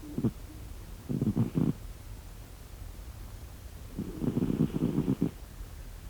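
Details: Snoring from a sleeping cat, short fluttering rumbles near the start, then a longer rattling breath around four seconds in, low and pulsed in a still indoor setting.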